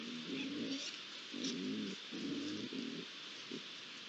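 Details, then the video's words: Three young Iberian lynxes at a pond, recorded 8 July 2022 as ambient sound; low, hoarse moaning tones in short repeated segments roughly every half second, over a steady high hiss of insects. "Tres rayones en la poza (Sonido ambiente)"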